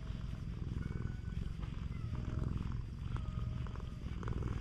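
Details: Affectionate stray cat on a cat island gives a continuous low, rumbling purr, rhythmic and steady throughout. Faint thin whistled tones sound in the distance.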